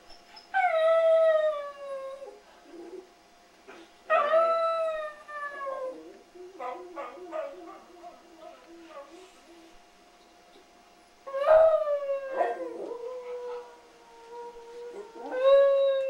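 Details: West Highland White Terrier howling indoors: three long, mournful howls that start high and slide down, then hold a steady tone. Short yips and whimpers come between the second and third howls.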